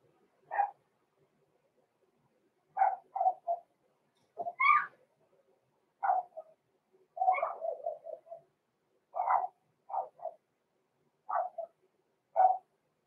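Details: Blenheim Cavalier King Charles Spaniel puppies Roman and Blue, six weeks old, in their home puppy pen: a scattered run of short high yips and squeaky barks, some single, some in quick clusters of two to five, with quiet gaps between.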